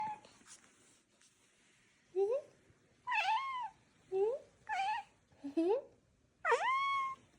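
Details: Domestic cat indoors giving a series of five short, high, chirpy meows, each sharply rising then falling, spaced about a second apart, sounding almost like a chick's peep; faint human voice before the calls.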